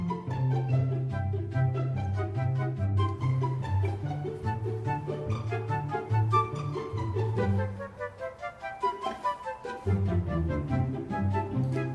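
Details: Instrumental music with flute, bowed and plucked strings and a steady low bass line plays throughout, with no animal voice heard.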